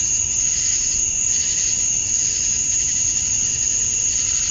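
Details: Georgia, USA, summer dusk: male cicadas chirping to attract females form a constant high-pitched whine in two bands, slightly swelling midway, steady and unbroken above a quiet low rumble.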